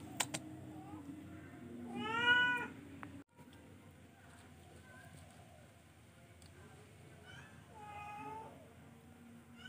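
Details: Charcoal F1 cat giving a drawn-out harmonic meow that rises then falls, a fainter meow near the end, a few soft mews between, and a steady low hum with a sharp knock in the background.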